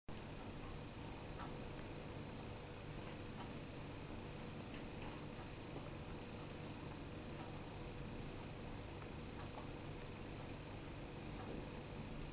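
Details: Foster mother cat Ruby, who has three 9-week-old kittens of her own and has adopted Fera, a motherless kitten from another litter, purrs indoors in a low, steady, pulsing rumble lasting throughout, with faint light clicks above.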